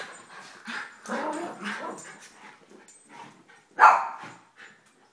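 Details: Household dogs at morning play, an elderly Miniature Schnauzer, a Basset Hound female and a young Yorkie biting a leg; rough growling throughout, ending with one loud sharp bark.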